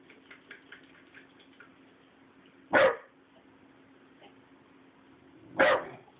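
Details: A 12-week-old Rottweiler puppy barks as if on guard, each bark a single deep, harsh burst; two loud barks come roughly three seconds apart over quieter background sounds.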